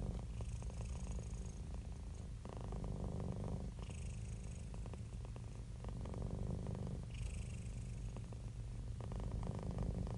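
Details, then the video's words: Deep rhythmic purring from a happy, relaxed domestic cat, the rumble pulsing quickly and swelling in breath cycles of about three seconds, soft hissy breaths above. "Happy Cat Purring"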